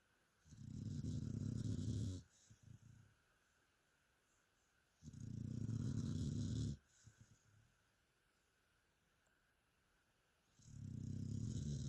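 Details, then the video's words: Mia the dog asleep and snoring: three long, gravelly low rumbles with soft fluttering exhales between them, recurring about every four to five seconds in a quiet room. "Mia the amazing snoring dog."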